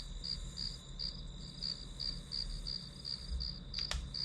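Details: Grass insect calls as white noise while studying: high, ringing chirps spaced about three a second over a low hum, with one sharp click near the end.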